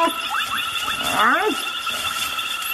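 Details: Hyenas fighting until one dies: a few brief chirps, then a rising-and-falling squeal arching up and down near the middle, amid a constant hum and hiss.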